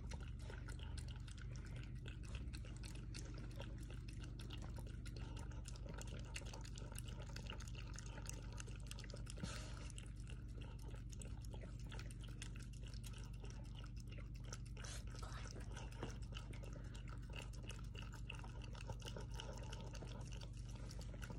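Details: Two pet dogs, Toby and Tucker, lapping milk from a small bowl indoors: continuous wet slurping and splashing with irregular licks and drips over a low steady hum.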